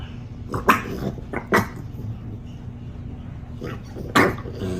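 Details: Female dog excited by her first snow, letting out a few short barks and a low growl, with three bursts in under five seconds and quiet pauses between.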